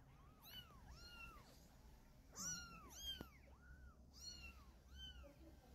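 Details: Domestic cat scene: a mother cat carrying her kitten in her mouth to move it to a safer spot. Thin, high meows rise and fall in arches, coming roughly every half second to second, over a low steady background hum.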